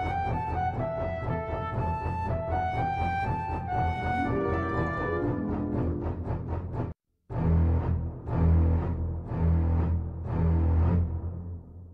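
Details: Dramatic orchestral music with deep bowed strings and booming timpani, a falling melodic line, then a short silence before heavy drum hits resume; no animal sounds.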